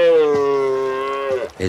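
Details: Wild red deer stag in France during the rut, having won a contest against a rival stag before the hinds, gives a long, steady, drawn-out bellow with a rich tone that falls slightly, like a cry of victory.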